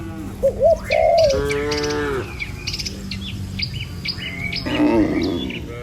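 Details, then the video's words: Herd of cattle walking a village road past rice fields toward the pen. One sustained moo near the middle and a wavering, rougher one near the end, with many sharp bird chirps and short rising calls around them. "Suara Cow Sepanjang Jalan Desa"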